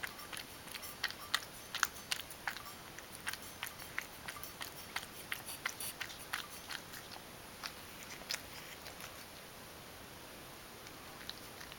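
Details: Mojio, a Ragdoll cat, eating dry food and chewing it well: a steady run of sharp, crisp crunches roughly every half second to second, bright clicking bites over a quiet background with no other clear sounds.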